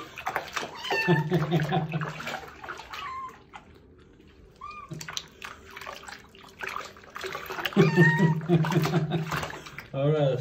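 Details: Stray kitten having its first bath, giving loud, strained meows in bursts over a low hum, with a person talking and quieter pauses between cries.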